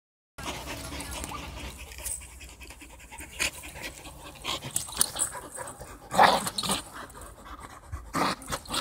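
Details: An English Bull Terrier pants hard and gives short, throaty grunts in quick, uneven bursts while playing tug of war.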